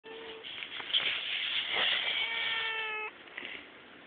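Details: A cat at a cat cafe at Monomiyama, living at a peace museum, gives a long, steady, drawn-out meow lasting about three seconds, followed by a short, faint second call.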